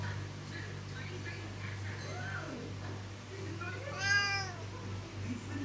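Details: Meow from a loud Siamese cat that wants to leave the room: soft murmuring sounds first, then one clear, harmonically rich meow that rises and falls, with a continuous low-pitched hum underneath.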